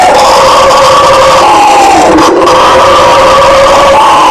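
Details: Bugio howler monkeys give a steady, throaty roar, several voices blending into one droning, harsh chorus with slow wavering pitch and no gaps.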